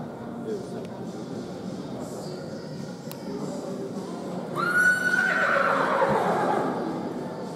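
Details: Polish sport horse stallion born in 2017 gives a single whinny: a high, bright onset that climbs briefly, then breaks into a shaky, descending run of pulses lasting about a second and a half, over steady low background noise.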